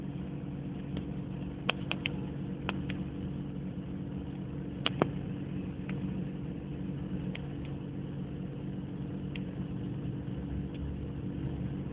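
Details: A steady low mechanical hum with a few sharp clicks and taps, and no animal voice.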